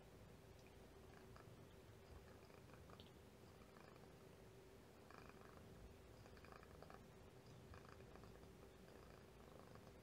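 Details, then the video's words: Domestic kitten purring indoors beside its mother, a continuous low rumbling purr with faint little pops scattered through it; quiet, close recording with soft background hiss. "Oh, Kitten's purring. Listen for little pops."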